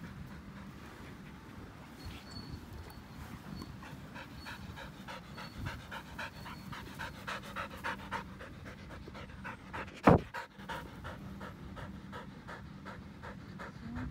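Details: An elderly white Samoyed named Pasepon on a lawn pants in quick rhythmic breaths, a steady series of soft broadband puffs, with a faint steady hum beneath and one sharp click near the end.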